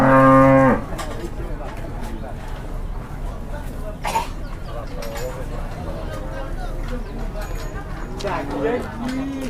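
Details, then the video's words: Agitated cow, said to be possessed amid a big commotion, gives a loud, steady, low moo lasting under a second. A shorter rising moo follows near the end, with shouting voices and rustling between the calls. "SAPI MASIH KESURUPAN ‼️ GEGER GEDEN PART 2"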